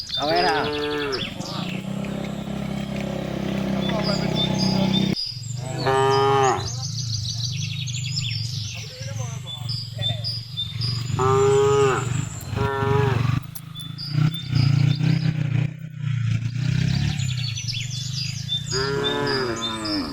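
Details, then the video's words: Herded cattle on a village road in late afternoon, calling the herd: repeated long moos at intervals over a loud low droning rumble, with bird chirps scattered overhead. "suara sapi memanggil kawanan"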